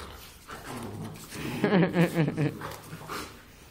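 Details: Two Giant Schnauzers, a father and son named Ronnie and Arnold, playing together. A short burst of low, pulsed growling whines runs for about a second, with a person calling a name before and after.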